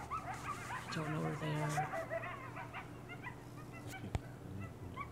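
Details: Pack of coyotes calling at night on Devils Night: a dense burst of yips and quavering howls for about two seconds, then thinning to scattered faint yelps over a steady low hum.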